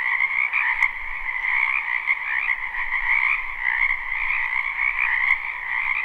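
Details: Frogs in a spring wetland behind a home croaking continuously, recorded live for sleep; a massed, even trilling chorus of many callers, high and mid layers, with a faint low rumble and two brief clicks.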